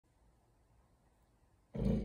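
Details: A Golden Retriever with a cloth in its mouth gives a single deep, muffled bark indoors while looking out the window, after a quiet pause.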